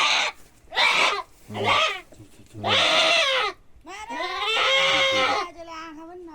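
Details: During castration, a billy goat cries out in five loud, wavering, hoarse bleats in quick succession, the last one long and drawn out, while people talk nearby.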